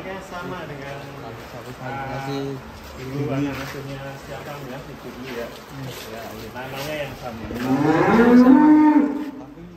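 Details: Very large fattened cattle, one said to weigh around a ton, kept in a pen in Indonesia; a single loud, drawn-out moo rises then levels off near the end, after a stretch of men talking and background chatter.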